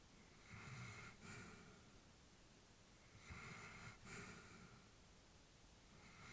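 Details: Old female Labrador asleep indoors, two soft breathing cycles with airy inhales and exhales and a slight nasal snort, quiet room otherwise still.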